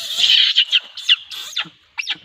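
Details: Shrill, piercing monkey screams, a long harsh squeal at the start followed by several short high-pitched bursts, a brief pause, then two more sharp squeals.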